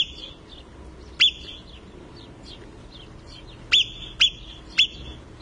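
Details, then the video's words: Marmot screaming in the Italian Alps: four sharp, piercing high whistles, one alone and then three in close succession about half a second apart, over a quiet background with faint chirps. "LA MARMOTTA che urla"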